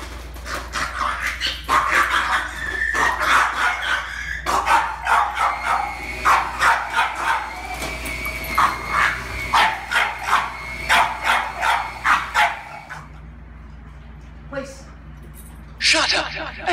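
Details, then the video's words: Reactive, aggressive French Bulldog named Bentley, filmed before a two-week board-and-train program, barking and yipping in rapid, irregular bursts for about twelve seconds, then a short pause and a final burst; a person's voice is heard briefly. "Aggressive French Bulldog, Bentley"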